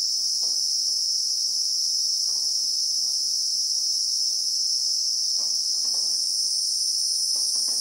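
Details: Christmas beetle (Anoplognathus) in South African bushveld with acacia trees, recorded in real time: a dense, unbroken, shrill insect drone in two high layers, with soft scattered ticks and rustles beneath.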